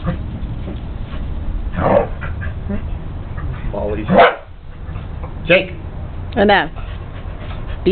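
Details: Welsh Corgi named Jake barking while trying to herd his new Westie puppy sister, Trixie; three sharp, broad barks come about a second apart in the latter half, with a person talking over low household rumble between them.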